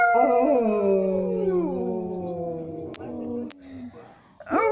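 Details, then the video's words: A dog sings in sustained wavering howls that glide down in pitch, two sharp clicks, then a short rising yip to finish. "El perro cantante"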